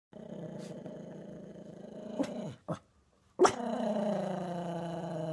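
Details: A Chihuahua confronting a creepy Easter bunny growls in long, low, rumbling stretches, broken by a short gap and a sharp sound before the growl resumes, louder and steady, indoors.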